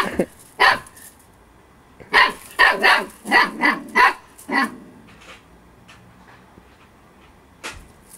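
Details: Eight-week-old female Husky puppy Storm, playing and attacking her own tail, fires off a rapid run of about six sharp puppy barks, with one earlier yap and a light click near the end.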